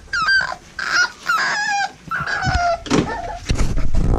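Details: American Bully puppies bred at Royal Kennels, litter of Diesel aka The Big Mac and Mia, giving loud high-pitched whimpers and wavering cries in quick bursts, with some low grumbles and handling noise.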